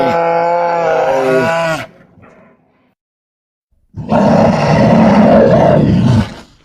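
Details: Grizzly bear roaring twice: a tonal, moaning roar with a falling end lasting almost two seconds, a pause, then a harsher, rasping, growling roar of over two seconds.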